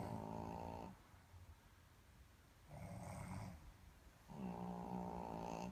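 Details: A Boston terrier snores in loud, rattling bursts with pauses of quiet breathing between them, alongside a snoring human.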